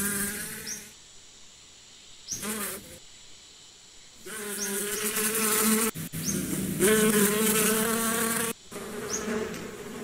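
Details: Buzzing bees heard in loud passes, a rich droning hum that swells and fades as they fly near, between quieter stretches with faint high bird chirps.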